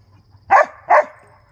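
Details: Two loud, short dog barks about half a second apart, from a Husky and Briard play session, against a faint low hum.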